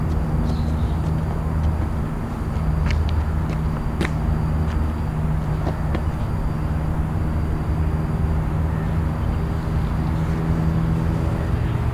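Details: Steady low engine rumble of passing traffic with a few sharp knocks and clicks, and no clear animal calls.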